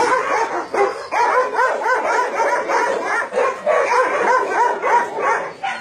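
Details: Many dogs barking together at a meat farm and puppy mill in Nonsan, South Korea, in January 2017; dense overlapping yips and barks in rapid succession with a woman's voice beforehand.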